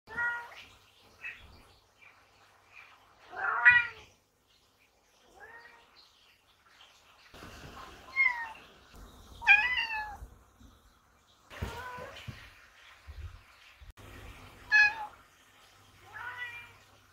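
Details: Two Ragdoll cats, Toby and Mika, meow repeatedly to be let into the barn and to keep its doors always open. About eight wavering meows rise and fall, scattered irregularly, some short and some drawn out. Low rumbling pond sounds run underneath.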